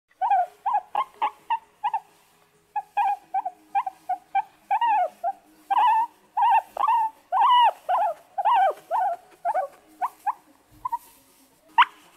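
Guinea pig giving a rapid series of short, squeaky, arching calls, roughly one every second.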